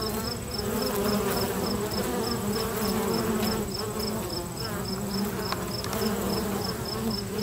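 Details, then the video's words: Many busy bees at a local bee box: a dense, steady droning hum with wavering low tones throughout, overlaid by a faint, rapid, evenly spaced high pulsing tone. "Bee Box Natural Bee Sounds"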